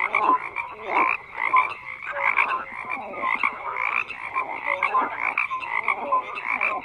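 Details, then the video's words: A steady frog chorus: many croaking frogs overlap in rough pulsed bursts, with short tonal notes scattered through and a constant bright band above, the loudness rising and dipping about once a second. "FROGS CROAKING"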